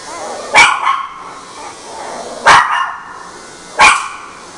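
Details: Mixed-breed female dog giving three loud, abrupt barks roughly every one and a half to two seconds, each with a short ringing tail.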